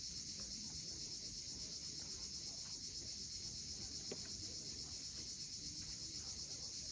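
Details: Cicadas at sunset on the steep coast of Cape Fiolent, Crimea: a dense, unbroken high-pitched buzzing that holds steady throughout, over a low rumble of sea waves below.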